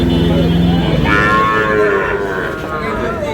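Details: Young Sahiwal bull calves at a busy cattle market near buyers from Dhaka, 16 March. A low, droning moo gives way to a higher, wavering bawl. Background chatter and market bustle continue.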